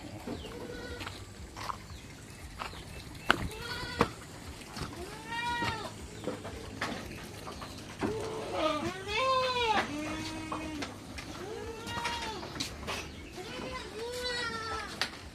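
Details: Domestic goats during the hot season, while being given a salt and molasses drink: a steady run of wavering, nasal bleats, some overlapping as several animals call at once, with a few clicks and knocks in the background.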